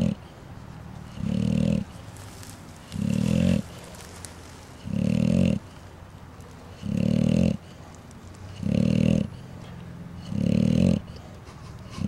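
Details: Snoring from sleeping bulldogs on March 4, 2010: six steady, gravelly, low snorts arriving roughly every one and a half seconds, each lasting about half a second, with a faint hiss between them.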